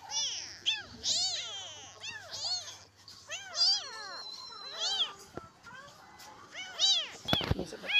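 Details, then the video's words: Street kitten crying for its mother, trembling after a night of calling, while stray cats are fed: a run of shrill, arched, harmonic-rich meows in bursts, some clustered closely, with brief clatter and talking nearby. "Anak kucing Ini Menangis Semalaman Mencari Induknya sampai Gemetaran"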